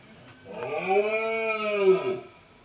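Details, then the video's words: A red deer stag gives a single long, throaty rutting roar that swells and then fades. It was recorded during the late-summer rut, when males gather groups of females, drive off other males and announce their presence. "BERREA DEL CIERVO/BRAMA DO VEADO"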